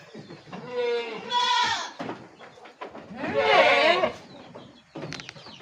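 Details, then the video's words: Javanese goat, with a female nearby; two strong quavering bleats about two seconds apart, the second rougher and more strained, followed by shorter fainter cries, while a man talks in Javanese. "spil kambing jawa"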